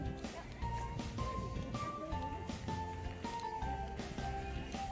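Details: Rhythmic music with a plucked melody and bass beat, with no animal voice.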